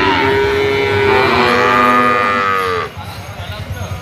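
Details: Sacrificial cattle in a pen, being weighed: a long, loud harmonic moo that holds steady, then bends downward and cuts off near the three-second mark, followed by quieter background noise.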